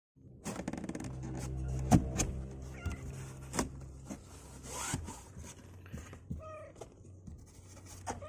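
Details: Two-week-old kittens, legs growing stronger and refusing to stay in their box, give short high mews with stacked harmonics, mostly in the later seconds. Thumps and handling knocks and a steady low hum run underneath.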